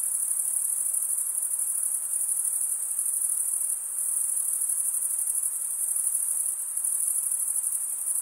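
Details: Chorus of chirping crickets, their wings rasped together to make a piercing, tightly pulsed high trill that holds an even volume with slight swells, with no background sounds.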